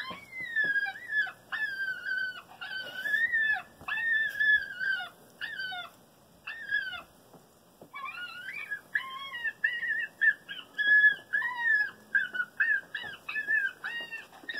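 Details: High, nasal whining yelps in quick arching bursts, broken by a short pause before returning busier and more clipped. This is a grieving-fox call played from an electronic caller at a backyard, drawing a fox to within 5 feet.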